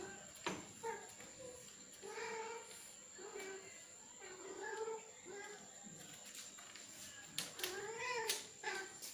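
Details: Male domestic cat calling to a female it wants to mate with, indoors: low, drawn-out wavering yowls repeated every second or so, rising and falling in pitch, with clicks and knocks in the background.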